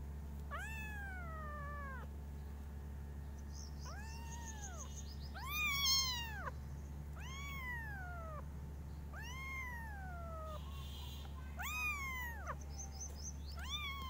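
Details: Five kittens meowing very loudly in different styles: a quick series of arched, wavering meows repeated roughly every one to two seconds, some overlapping, with faint chirpy high sounds between and a constant low hum.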